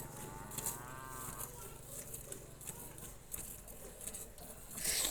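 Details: Cholistani Jersey cross cow on a farm, offered for sale, giving a single drawn-out moo with rich layered harmonics that lasts about a second and a half, then fades into faint farmyard background noise.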